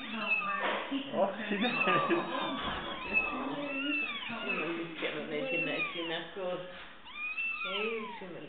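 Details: Several little fluffy kittens on a chair, mewing over and over with thin, high, rising and falling cries that overlap, while people talk in Spanish in the background.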